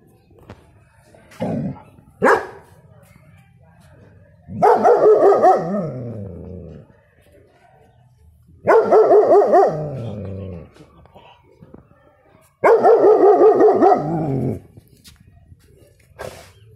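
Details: Young German Shepherd, a six-month-old male puppy, gives deep protective barks: two short yelps, then three drawn-out wavering bursts spaced about four seconds apart, each trailing off downward, with faint room noise between.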